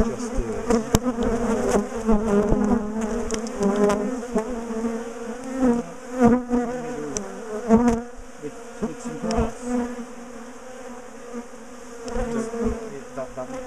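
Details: Agitated bees from a big top bar hive colony being split and moved away from a garden; steady droning hum swelling and easing in waves, with frequent tapping and clattering of hive work throughout.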